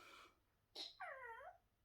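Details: A trained pet Chihuahua making a mild threat at an owner who is eating and will not hand over food: a short arched whine of about half a second, rising then falling, just after a sharp clatter, in a quiet room.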